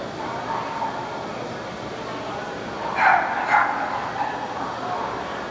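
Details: Standard poodle during the start of a show grooming spray-up; two short, harmonic barks about half a second apart stand out over a constant loud hissing noise that fills the whole recording.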